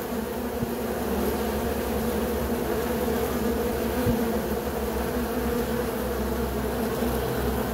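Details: Bees producing a constant, even hum with slight wavering and a couple of small clicks.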